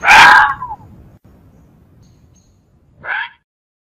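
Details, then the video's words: Fox giving a loud, harsh, hoarse yelp that trails off downward, then after about two and a half seconds of faint low rumble a second, shorter and softer yelp. "Sonido del ZORRO"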